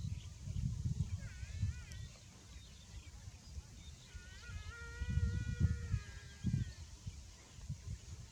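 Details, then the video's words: Overheated buffalo calf calling twice: a short wavy nasal cry, then a longer steady harmonic moan lasting over two seconds, with low rumbling noise and soft thuds throughout. "BUFFALO Baby Too Hot and Makes a Good Sound"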